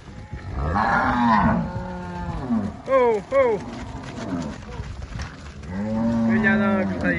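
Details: Angus cattle at a farm in Palmeira dos Índios, Alagoas, Brazil: a long wavering moo, two short sharp higher calls, then another sustained low moo rising toward the end.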